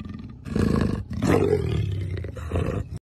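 A leopard gives deep, rough roars in short bursts, an angry, aggressive sound.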